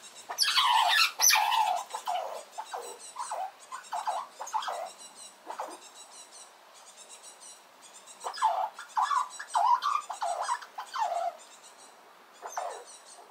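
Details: Small red squirrel raising a loud noise as another squirrel approaches at a nut feeding spot, defending itself: shrill squeals and squeaks with bright harmonics, in irregular bursts, some rising and falling, with quieter ticking between.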